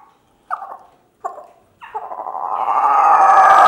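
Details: Mango, a rescued juvenile male howler monkey who became alpha of his group, gives three short hoarse yelps, then a long howl that swells steadily louder while learning to howl.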